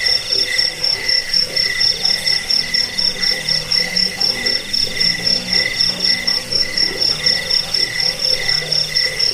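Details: Cricket chorus used to drive off rats and train cage birds. A thin, high pulsed trill holds steady while a lower buzzy chirp repeats in regular bursts roughly twice each second.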